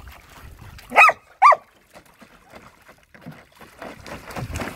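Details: Luma the Samoyed and Zuko the Keeshond playing by the pool on a spring-like first splash day; two loud, clipped barks half a second apart, followed by rustling, splashy movement noise building toward the end.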